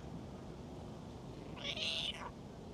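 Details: Talkative stray cat being stroked, one drawn-out meow that rises then falls and fades, heard against constant low outdoor noise.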